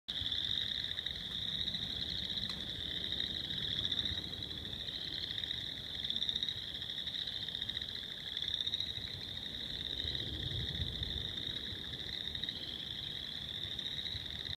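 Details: Many tiny unseen frogs at a bog call together in spring in a dense, high-pitched chorus that rings steadily without a break.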